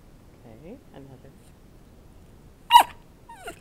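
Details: Bowzer, a pet dog being trained to bark for a piece of chicken held above him, gives faint soft whimpers, then one sharp loud bark near the end and a shorter yelp after it; a trainer's voice is heard.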